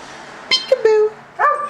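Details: Almost fourteen years old, the husky Tundra protests a game of peek-a-boo with a clipped yelp and then a drawn-out, downward-sliding moaning 'woo'. A second rising whine starts at the end, in a small indoor room.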